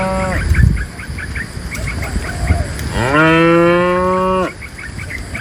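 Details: Dozens of tame cows herded by a livestock herder out of the forest toward the pen; one cow gives a long, steady moo that rises slightly and holds for over a second.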